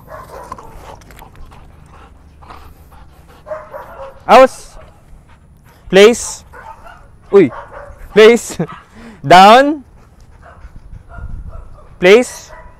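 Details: Training a Belgian Malinois in the Philippines: six loud barks ring out spaced one to two seconds apart, one drawn out and rising. Quiet speech and commands from a handler run underneath.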